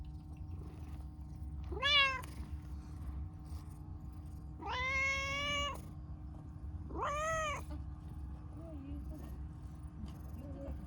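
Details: Talkative, affectionate pastel calico cat, a stray, meowing: three clear, drawn-out meows, the second longest at about a second, each with a rising then falling tone, separated by pauses; low steady background hum.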